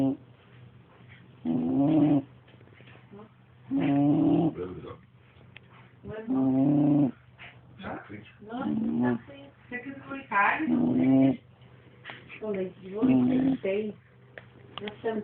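A bulldog snores in rough, buzzy bursts, one with each breath, roughly every two seconds.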